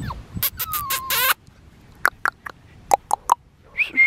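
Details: Black tri male Australian Shepherd puppy at an Oklahoma breeding farm gives a short nasal whine that holds steady and then rises, amid sharp clicking and scuffling, ending with a brief higher squeak.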